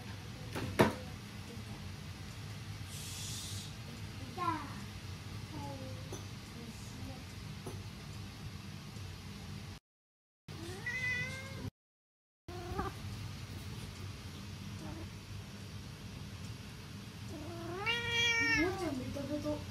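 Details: A Norwegian Forest Cat gives several soft, cute, rising-and-falling meows while hugging, over quiet room noise.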